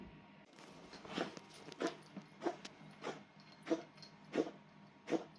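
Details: Bengal cat with a cold coughing indoors, a rhythmic train of throaty hacking bursts about every two-thirds of a second, steady and fairly loud, with quiet room hum underneath.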